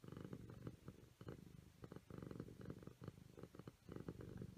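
A Siamese cat purrs steadily, a low rumbling hum that swells and fades with each breath.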